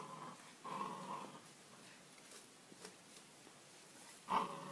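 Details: Two-month-old Pit Bull puppies fighting and biting: a low, buzzy growl lasting under a second over steady background noise, then a short sharp yelp near the end.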